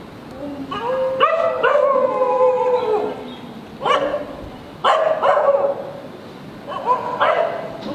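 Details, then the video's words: German shepherd barking loudly and angrily in the street; harsh harmonic barks and drawn-out yelping barks come in bursts about every second or two, with a steady background hum. "Dog barking loudly in the street. Dog barking sounds"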